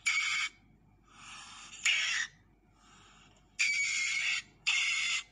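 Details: Asian palm civet, known locally as musang pandan, giving harsh, breathy hissing bursts. Four loud bursts of roughly half a second to under a second each, with quieter rasping passages between them and a faint low background rumble.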